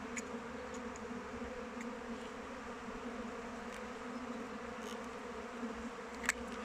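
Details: Steady droning hum of many honey bees flying around a hive in open weather, unbroken buzzing with a few faint ticks and clicks scattered through, one sharp tap near the end.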